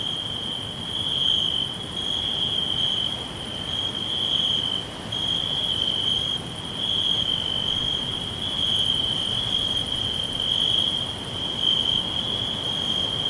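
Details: Crickets chirping all around in a green forest: a steady, continuous high trill holding one pitch, with fainter pulsing tones above it and soft broadband rustle beneath throughout.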